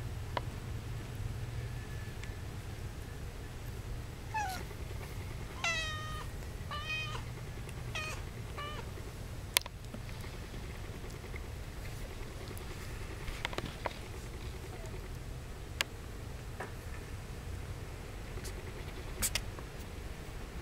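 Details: Domestic kittens about two and a half weeks old give a quick run of about six high, thin mews with bright overtones in the middle seconds, then quieter scattered squeaks, over soft rustling and handling knocks.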